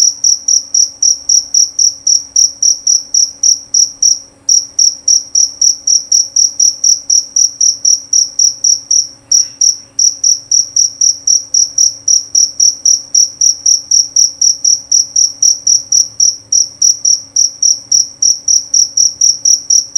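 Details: Male jangkrik jerabang calling with loud, clear, shrill pulses about four per second. The series runs on for a long stretch, broken by two brief pauses, with a faint low hum behind it.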